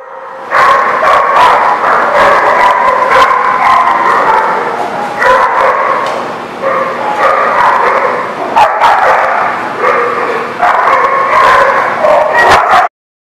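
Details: Many dogs in a kennel yard on October 28, 2019, barking and yipping constantly in a dense overlapping chorus of loud sharp barks with no real pause until an abrupt stop near the end.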